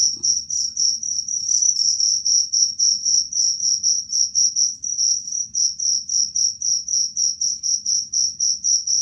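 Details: High, shrill cricket chirps played to scare off rats, running rapidly and almost continuously as a pulsing trill for the whole stretch, with a soft low background murmur.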